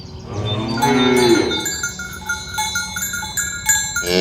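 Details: Cattle grazing in a green grass field, herded toward the pen in the morning and mooing to call companions together: one short, low moo near the start, with cowbells ringing throughout.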